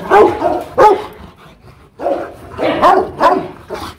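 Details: Aggressive Rottweiler at a kennel in Hoang Mai, Hanoi, Vietnam, barking fiercely: two deep, forceful barks, a pause, then three more in a quick burst, each bark rough and full-bodied.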